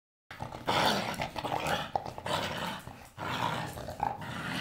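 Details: Blue Staffordshire Bull Terrier playing with a toy, giving rough, noisy growls in uneven bursts with short gaps, likely indoors in a small room; snuffling and scuffling sounds mixed in.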